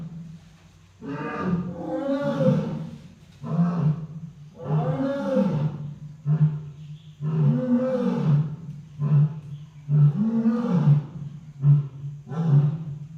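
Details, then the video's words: Lion roaring loudly in five powerful, low grunting bursts spaced two to three seconds apart over a steady low hum, with faint voices in the background. "Lion makes sounds"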